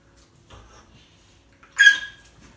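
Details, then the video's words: Tia, a chatty rescue dog, playing with fellow rescue dog Sandy indoors in 2018; a short, sharp high-pitched squeaky yelp bursts out near the end after quiet shuffling. "Tia being chatty with Sandy"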